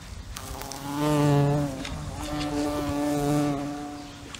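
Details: A fly's buzz rising and falling in loudness, swelling twice into a louder, deeper hum as if passing close, then easing back to a quieter drone.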